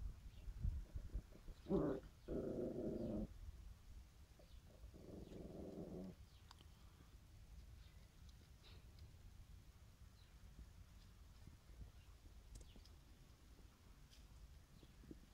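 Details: Three dogs, a bulldog, a Tosa and a chihuahua, playing together. Harsh, rasping growls come in two bursts within the first six seconds, the first lasting over a second. Quiet follows, with faint scattered ticks and a low background rumble.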